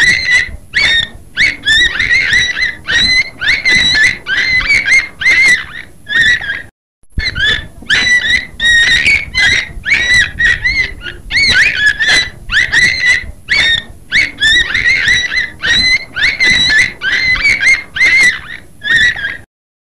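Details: Long run of beluga whale squeals: shrill, harmonic chirps and whistles in rapid clusters, briefly cut to silence around the seventh second, then resuming with the same bubbly, rising-and-falling chatter to the end.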